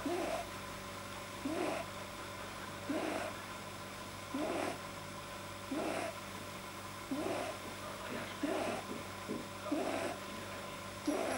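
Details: Pet rabbit with a probably too-long soft palate making unusual sounds when deeply relaxed, 9 January 2010: a regular series of short throaty snorts, roughly every 1.4 seconds, some doubled, over a low mechanical hum indoors.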